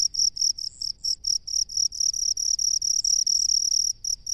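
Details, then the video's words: Cricket living in rice fields: loud, high, steady chirping in quick bursts, about two per second, some pulses running together into longer trills, with a faint low rumble beneath. "SUARA JANGKRIK PENGHUNI SAWAH"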